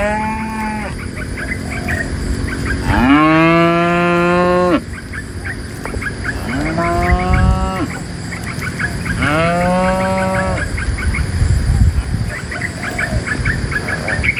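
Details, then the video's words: Dozens of tame cows herded out of a forest toward a pen, lowing in long harmonic moos, one loud bellow near three seconds followed by shorter overlapping moos, with steady background hum and faint higher calls. "A livestock herder in the sound of a cow mooo"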